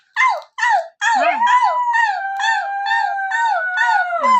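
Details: A female husky, called lazy and naughty because she rarely makes noise unless her owners howl to prompt her, gives two short yelps, then a long, wavering, tuneful howl that swoops up and down in pitch.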